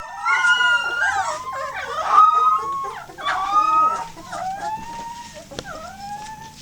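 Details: Eight 18-day-old Golden Retriever puppies howl together, thin wavering rising-and-falling wails answering a passing fire truck siren.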